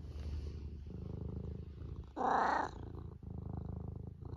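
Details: Purring from Eric, a domestic cat sitting in a classic loaf pose and looking comfy: a steady low rumbling purr with a regular pulsing rhythm, broken briefly by a brighter, louder burst in the middle.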